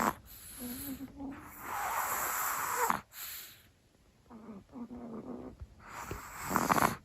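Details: Chihuahua sleeping in, snoring indoors: long raspy breaths with a low wavering buzz, loud snorts around the third and seventh seconds, a quieter gap between breaths.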